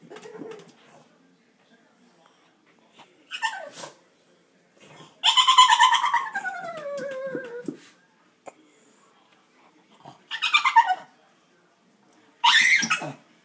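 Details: Pug trying hard to get into an old aquarium indoors: scattered bursts of high whining, a loud wavering whine sliding down over two seconds, then short squeaky whimpers separated by silences.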